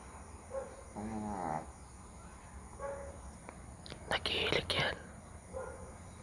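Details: Dog snoring loudly while asleep outdoors at night. A rough, harmonic snore with a wavering pitch is followed by softer breaths, recurring about every two to three seconds. A steady high electrical whine runs in the background.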